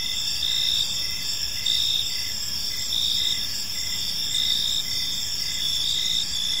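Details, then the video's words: Crickets chirping in a peaceful park as evening falls, a dense high-pitched trill with steady pulsed bursts repeating just under once per second over a soft background hum. "Cricket Sounds in a Peaceful Park"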